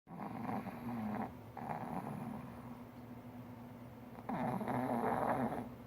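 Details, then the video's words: Four-year-old male pug snoring loudly while napping comfortably on a lap as someone works at a computer; rasping, buzzy snores in long drawn breaths, two main bouts separated by a quieter pause. "the pug snores so loud!"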